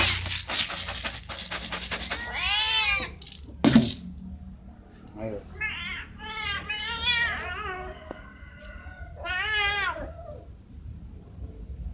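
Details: Domestic cats fed in the morning, meowing to ask for food or attention: several drawn-out, arching meows with rich harmonics, some overlapping, after a burst of clicking handling noises at the start.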